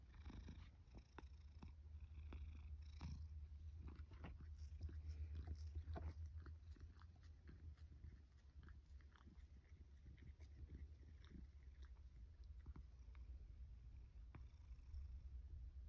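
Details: Sacchan, a rescue tomcat born about spring 2019, answers the call to breakfast at a home in Higashiomi, Shiga, Japan, autumn 2023. A long, low, unbroken purr runs under repeated clicks and chewing-like taps, briefly fading midway.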